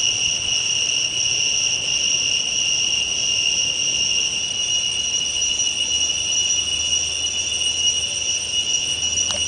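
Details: Cicadas in full song at morning or evening twilight: an intense, level, ringing buzz sustained without interruption, with a brief faint downward sweep near the end.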